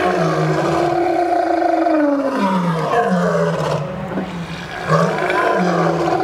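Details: Lion at the St. Louis Zoo on December 12, 2014, giving long, deep, moaning roars with a strong harmonic tone. Each roar slides downward, and they follow one another with barely a pause.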